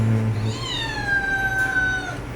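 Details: A Scottish Fold cat, anxious on the way to a vet check-up for limping and normally not vocal, gives one long, drawn-out meow that slides slowly downward in pitch.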